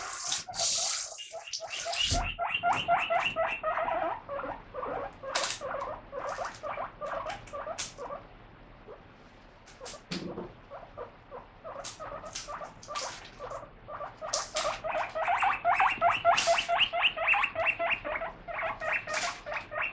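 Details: Excited pet guinea pig calling while lettuce is washed, steady trains of rapid squeaky wheeks that pause midway and then return louder and faster, with occasional clatter and hiss.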